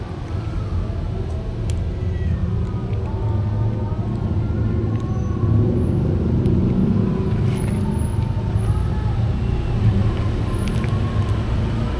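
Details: Steady roadside traffic rumble with passing vehicles, faint voices and a few clicks, with no animal voices heard.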